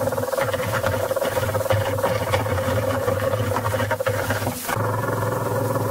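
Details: Mating behaviour of the leafhopper Aphrodes makarovi: a low buzzing hum with layered harmonics, broken by irregular crackling bursts and a brief sharp break near the end before the drone resumes.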